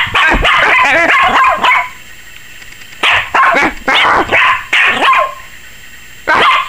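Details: A 21-week-old female Yorkshire Terrier puppy barks in sharp, high-pitched bursts, several yaps in quick succession, apparently scared of the camera.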